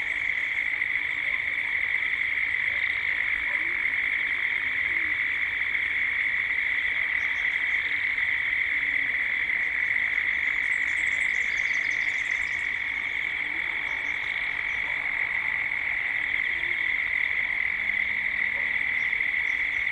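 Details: Gippsland, Australia at dusk: a dense cicada chorus forms a steady shrill drone across the recording, with a burst of high bird twittering around the middle and soft lower calls scattered throughout.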